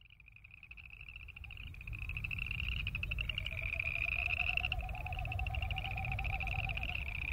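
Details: Boreal chorus frogs croaking in a chorus: overlapping high pulsed trills run almost without break and grow louder after the first two seconds. A lower, steadily pulsed sound runs beneath them in the second half.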